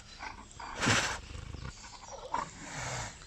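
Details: Tigers at a French zoo safari park chuffing to each other as one tiger appears and greets another, recorded live in May; a short breathy puff near the start, then quieter rumbling and rustling outdoors.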